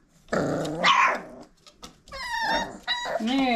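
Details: Old Family Red Nose Pit Bull puppies aged five weeks, parents Abby and Ragnar, playing and biting indoors: a rough, low puppy growl, then a bright, wavering whine, with a person speaking over them.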